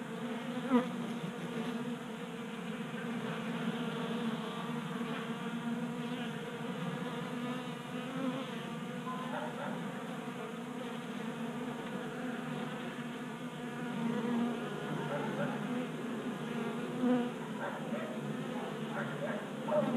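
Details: Many honey bees feasting at a 3D-printed feeder in a Colorado garage, active in January warmth of 60 degrees; continuous overlapping wing hum, low and steady, with brief swells and clicks as bees come and go.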